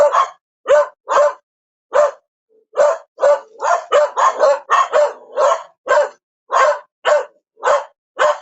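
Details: A dog barks steadily and rapidly, roughly two barks per second at an uneven pace, some barks running together in a dense cluster midway, each one short, harsh and ringing, with clean silence in the gaps.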